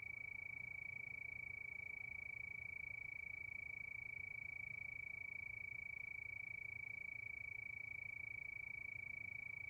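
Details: Crickets at night beneath the moon: a continuous shrill trill made of rapid, evenly spaced pulses at one constant high pitch, faint overtones above it, and low background murmur.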